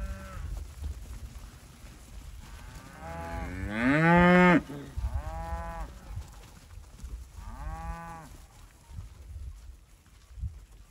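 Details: Herd of Red Angus and Angus cows, pregnancy tested in calf: one loud drawn-out moo near four seconds, followed by two softer, rising-then-falling lowing calls, over rumbling low background noise.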